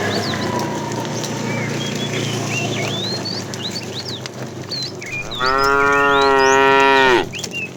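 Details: Fat tame cow in a herd being driven in the afternoon, calling the female: one long, loud, harmonic moo near the end that holds steady then drops slightly, after several seconds of busy chirping and whistling birds.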